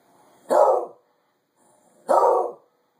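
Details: Cyrus the dog, bored of winter, barking out the window: two single loud barks about one and a half seconds apart, each short and harsh, in an otherwise quiet room.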